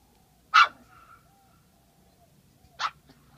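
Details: Baloo, a Border Terrier puppy, excited on his first visit to a lake: two short, sharp, high yapping barks about two seconds apart in quiet surroundings, followed by a faint trailing whine.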